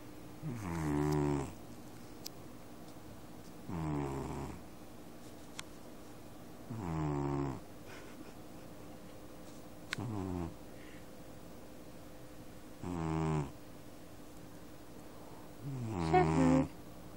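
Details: Sleeping domestic cat snoring indoors, recorded on a phone: deep, rumbling snores about every three seconds, six in all, each a low buzzy breath, with a faint steady hum between.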